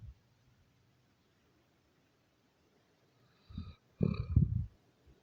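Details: Doberman dog snoring: after a near-silent stretch, two short low rumbling breaths around the four-second mark, the second louder and longer with a faint buzzy overtone, in a quiet indoor setting.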